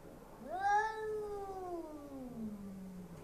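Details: Bengal cat indoors, hostile toward a neighbour's Persian cat behind glass, gives one drawn-out yowl lasting about three seconds, rising sharply at the start, then sliding slowly downward in pitch; a quiet room otherwise.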